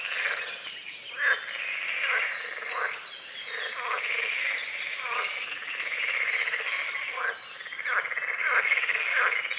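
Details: Frogs on a small lake at the forest edge at dawn, croaking in a steady pulsing chorus, while birds add quick repeated whistled notes over it throughout.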